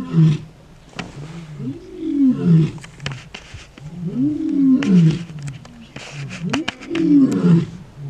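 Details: Male lions of a coalition roaring in Kruger National Park, South Africa: deep, rough grunting roars in repeated rising-and-falling phrases about every two and a half seconds, with sharp clicks and some background noise.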